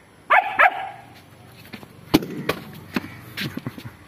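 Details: Long-coated German Shepherd reacting after seeing a stray dog it wants to fight. Two sharp, harsh barks come close together near the start, followed by scattered thumps and clicks over low background noise.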